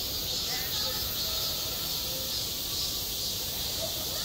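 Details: Summer cicadas heard on a school sports ground, a softer but unbroken high buzzing hiss lasting the full few seconds, with faint murmuring in the background.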